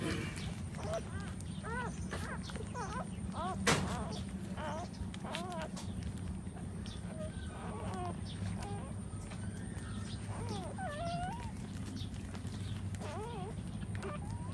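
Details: Puppies nursing while their mother dog stands, giving many short, high whimpering squeals with up-and-down bends, scattered through the recording over a steady low hum.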